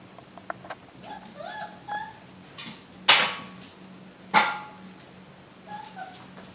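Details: Six-week-old Alaskan Klee Kai pups make soft, tonal whines that waver and repeat at intervals. Two sharp knocks and a low steady hum run beneath them.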